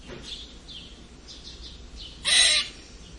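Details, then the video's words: A red squirrel's odd squeaking: one loud, rasping squeal burst lasting about a third of a second near the end, preceded by soft, high-pitched bird twitters over a faint hiss. "Eichhörnchen seltsames Quietschen !"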